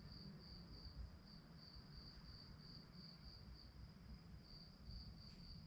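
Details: A cricket chirps at night in a steady, high, pulsing trill over a low background rumble.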